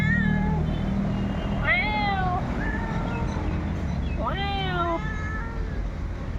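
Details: Domestic cat drawn in by someone mimicking its voice, giving a few loud, swooping meows about two and a half seconds apart, each jumping up steeply then sliding down, with softer shorter mews between and constant low background noise.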